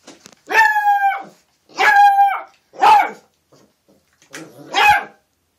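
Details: Puppy giving four loud, clear yelping barks, each about half a second long with a bright harmonic ring, spaced roughly a second apart in an otherwise quiet room.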